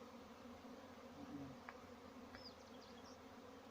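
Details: Farmed honey bees humming as a steady low drone with a faint higher overtone, joined by a few short high chirps of birds in the background near the end.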